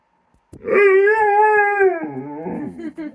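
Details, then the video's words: Kilo the dog in play with Korra, snapping at air near her tree: a single sustained, rich harmonic howl lasting over a second, holding steady pitch, then dropping and breaking into a lower wavering whine. "Kilo and Korra make funny noises when they play"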